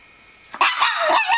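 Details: Pet dogs Bella and Buddy indoors, Buddy acting to protect Bella from a cat picture she dislikes; after a short quiet start comes a sudden sharp bark followed by rapid rough yelping bursts.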